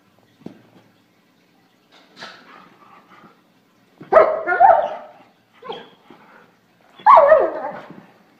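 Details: German Shorthaired Pointer, a pet dog, giving a few scattered barks and yelps: a soft sound early, then two loud harsh barks about three seconds apart with quieter whines between them.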